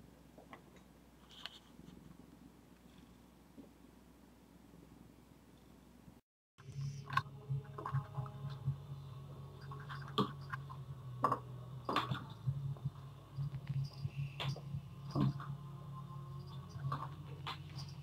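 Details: Zephy, a female pet cat, purrs as a low, steady rumble that starts after a short silence, with scattered clicks and rustling handling noises on top.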